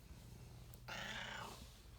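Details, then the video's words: A female pet cat shakes her head while making a funny meowing noise: one drawn-out, nasal, harmonic-rich meow of about half a second, rising then dropping slightly, over a steady low hum and soft rumbling. "My cat makes a funny noise meowing and shaking her head"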